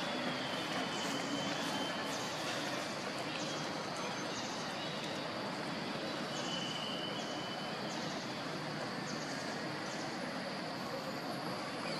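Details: Continuous broadband vehicle or rail noise dominates throughout, with faint murmurs that may be distant voices. No distinct animal calls stand out.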